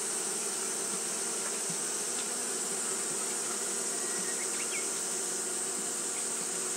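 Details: Japanese honey bees fanning on a hot day give a constant buzzing drone with stacked overtones, a few faint brief chirps flicking above the hum, and a steady high whine overhead.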